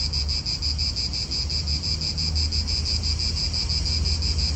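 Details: Pulsing cicada buzz in an Italian park, high and continuous with rhythmic throbs, while a strong low rumble of nearby cars and wind runs underneath.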